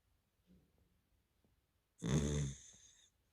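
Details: A dog asleep gives one deep, rattling snore lasting about a second, tailing off into a softer wheeze. Faint quiet breathing comes before it, in a still room.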